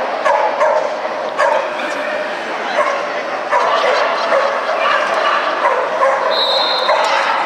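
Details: Jack Russell Terrier named Kotetsu at an agility competition, second day, 29 March 2015. Sharp barks repeat about once a second over dense crowd chatter, with a steady whistle-like tone near the end.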